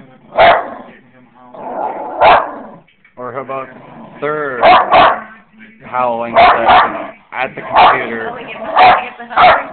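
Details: Two pet dogs, Sophie and Fenway, a basset hound and a Jack Russell terrier puppy, reacting to their own howling played back: spaced loud barks with wavering, drawn-out howling yelps between them, and a person talking in the background.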